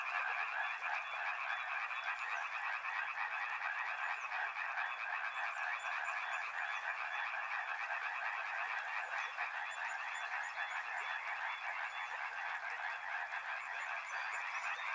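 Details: Frogs calling near a river in a continuous, even wall of rattling croaks, many callers overlapping with no gaps, while a thin high-pitched pulsed trill runs through the middle stretch.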